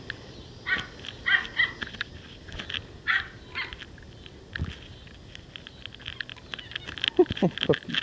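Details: Four male Toy Schnauzer puppies, 7 weeks old, romp and play outside: two liver parti, one black and white parti, one black and silver. Scattered short yips and squeaky whimpers come in bursts, with thumps of play between.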